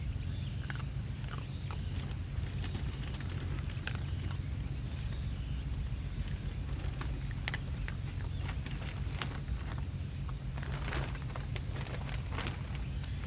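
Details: A family of raccoon dogs eating together, producing scattered crisp crunching clicks in quick irregular bursts over a steady low rumble and a constant high hiss.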